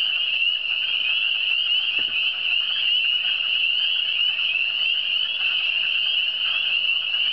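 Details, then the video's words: Chorus of frogs from the Eastern Townships: shrill, densely layered trills sustained evenly from start to end, one sharp click early on and a soft background hum. "Le son des grenouilles"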